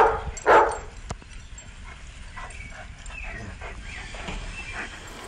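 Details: Puppies playing and running wildly outdoors; one loud, sharp bark bursts out near the start, followed by a few faint, short yips and soft rustling over steady background noise.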